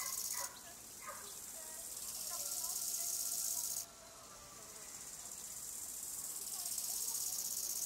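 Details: Bow-winged grasshopper (Chorthippus biguttulus) stridulating: two loud, hissing, high-pitched phrases, each swelling in loudness over about three seconds before stopping abruptly, separated by a quieter pause with faint background rustling.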